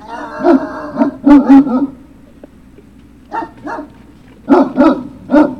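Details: At Puppy Hill, Great Dane puppies give loud, rapid clusters of yapping barks, two or three in quick succession, separated by brief pauses, over a faint low hum; recorded 03-06-2019.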